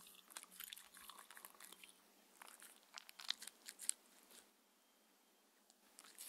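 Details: Indoor dinner of a six-year-old Shetland Sheepdog named Mindy: crisp bites and crunches cluster in the first four seconds, then fade to near quiet before a last few clicks.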